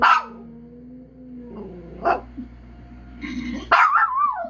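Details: Dog howling: a sharp yelp, then a long steady wavering tone, a short rising cry near two seconds, and a loud final yelp sliding into a wavering howl.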